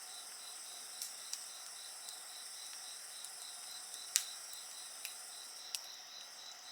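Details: Steady insect chorus next to a campfire, a rapid high pulsing trill running without pause over higher sustained ringing tones, punctuated every second or so by snapping wood crackles.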